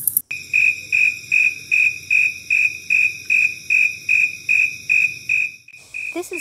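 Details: A snowy tree cricket, a tree cricket of wood edges and shrubby plants, sings on a hot late-summer August evening: a steady series of clear, high, purring chirps, about two or three each second.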